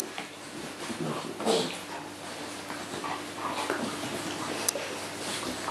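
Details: Neapolitan Mastiff puppies at home indoors: a brief high whimper near the middle, with soft snuffling and shuffling around it, a low steady room hum underneath and a faint human voice in the background.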